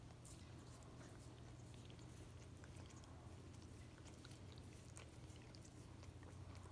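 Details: Miniature Australian Shepherd indoors licking peanut butter off a foot: soft, wet smacking clicks in quick irregular succession over a steady low hum, with no voices.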